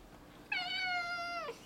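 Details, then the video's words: Male house cat Zebulon, four years old, is kept indoors and excited about a lizard outside. He gives one long, level meow lasting about a second that slides sharply downward at the close. "Cat talks about a lizard"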